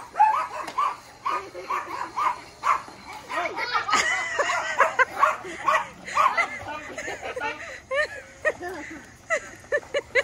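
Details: Yorkshire Terriers give rapid, high-pitched yapping barks in quick irregular bursts at a Tyco Riptide toy vehicle on its first day, with voices nearby.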